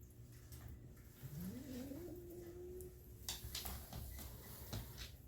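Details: Kitten making strange noises indoors: one long, low, drawn-out cry that slides upward and then holds a steady tone, over a quiet room hum with faint clicks.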